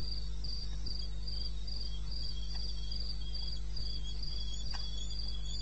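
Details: Crickets calling in the wilderness of eastern Botswana at 2:30 AM on 21 May 2016: high, thin pulsed chirps about three per second, with a fainter lower trill beneath and a steady low hum throughout.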